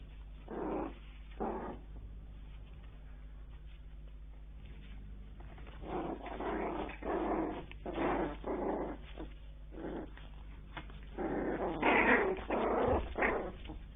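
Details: Newborn Bichon Frise puppies growing up indoors, uttering bursts of squeaky whines and low grumbling noises, some pauses between clusters, a louder rising squeal near the end over a constant background hum.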